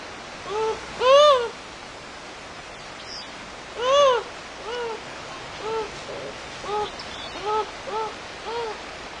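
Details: A beaver walking through a forest, surprised on meeting a skunk. It gives nasal, arching whine-like calls, each rising then falling. Two loud calls come about three seconds apart, then softer, shorter ones about once a second, over a steady outdoor hiss.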